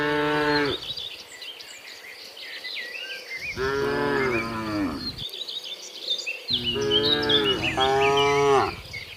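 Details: Tame cattle driven into their pen, long resonant moos, one near two seconds and a later pair back to back, against a lively background of bird chirps and insect buzzing.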